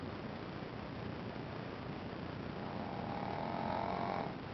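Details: A single rasping, droning snore rises near the end from Ponzu, a Shih Tzu puppy asleep, after several seconds of quiet hissing breath.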